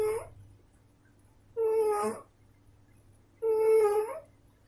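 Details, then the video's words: Sleeping female house cat snoring with a regular nasal whistle on each breath, three tonal wheezes in under five seconds, each holding a steady pitch with a slight lift at the end, over a low room hum. "Кошечка храпит"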